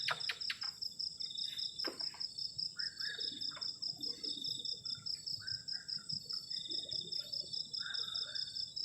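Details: Cold-night cricket chorus at a garden shelter camp: an unbroken fast, high pulsing trill layered over a steady whine, with a few clicks at the start and faint soft chirps lower down.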